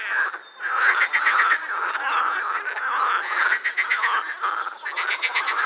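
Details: Edible frogs in a croaking chorus at the Krebsenwasser pond in Vienna's Prater; dense, overlapping rattling croaks with pulsed bursts, loud and continuous with brief dips.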